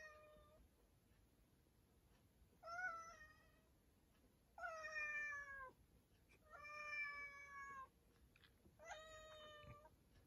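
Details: Five meows from a cat shut in a storeroom, some slightly falling at the end, spaced one to two seconds apart over a low, steady background hiss.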